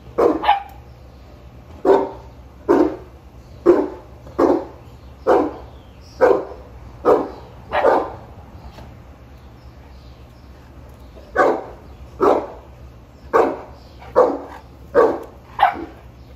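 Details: A Boerboel, Sheeba, checking on chickens, gives a long run of deep barks about one per second, pauses for roughly three seconds, then resumes with another quick series; low hum underneath throughout.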